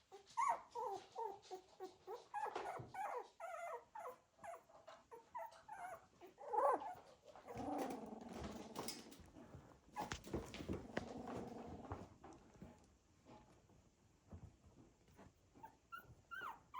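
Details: Cocker Spaniel puppies of a litter moving around, with scattered squeaky whimpers early, then a longer low grumbling growl-like murmur, plus rustling and shuffling noises.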